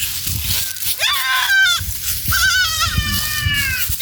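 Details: Goats feeding in a forest give two drawn-out, quavering bleats, the second longer and trailing off, over a background of low rustling and crunching.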